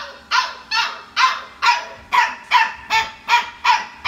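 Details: Puppy settling in at bedtime with other sleeping puppies, giving sharp, high yipping cries repeated roughly every 0.4 seconds, about ten in a row, steady and evenly spaced, with no other clear sounds.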